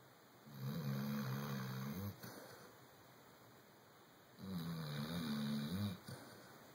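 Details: Chocolate Labrador Retriever asleep and snoring humanlike: two long, throaty, low rumbling snores, each about one and a half seconds, spaced roughly four seconds apart with soft breathing and faint steady hiss between.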